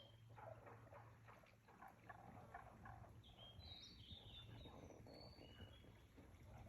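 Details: Croaking frogs at Aoba no Mori green space on 4/5/2024, a dense run of short clucking pulses continuing throughout, while brief high whistled bird notes sound in the second half above a low background hum.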